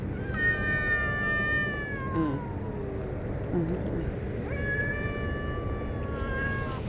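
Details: Stray cats being fed; two long drawn-out meows, the second rising sharply then falling, with a faint softer mew between, over steady low background hum and a woman's voice nearby.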